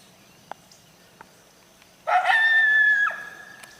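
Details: Coyote: two faint clicks or barks, then a loud bark sliding into a long, steady, high howl held for about a second before dropping away at the end.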